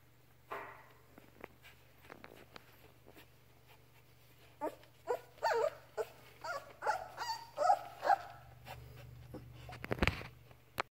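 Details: Labrador Retriever puppy Ripley, learning to walk, playing indoors with its mother Halia: a few quiet early calls, then a lively run of short, high, whining whimpers and yelps over four seconds, with rustling and a loud thump near the end.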